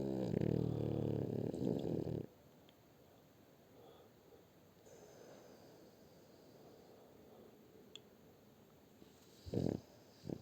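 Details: A long, deep, rattling snore from Shturm the French Bulldog opens, then quiet breathing and two short snorts near the end, indoors.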